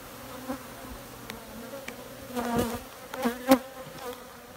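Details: A low, even honey bee hum swells into short louder bursts of buzzing in the second half, punctuated by sharp clicking knocks.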